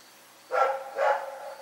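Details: Rex, a dog, gives two loud, broad harmonic barks about half a second apart in the night, the second slightly longer and trailing off.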